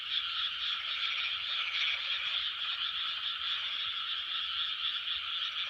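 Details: Many frogs calling together in 2020, their croaks blending into a thick, constant chorus that barely changes in loudness from start to finish.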